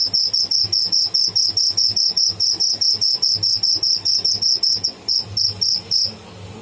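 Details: Shrill, rapid pulsed chirping from a live cricket (tidda), about five high clicks each second in a regular train that falters near the end and stops abruptly, leaving only a soft low hum.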